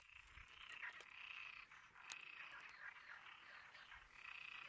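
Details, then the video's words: Frogs calling in a dense chorus, a steady band of overlapping croaks and trills with brief brighter notes rising above the mass at intervals. "Las ranas !!"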